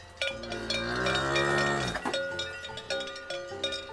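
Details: A cow, one of India's sacred cattle, gives a long low moo that slides downward over about two seconds, with a clanking cowbell and background music throughout.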